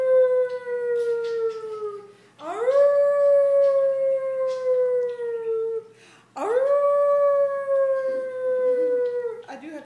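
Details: Adopted male poodle howling as a newly found trick his owners prompt him into. Three long, pure, tonal howls: each swoops up at the start, holds steady, then slowly sags in pitch over several seconds. Brief pauses separate them, with faint human voices.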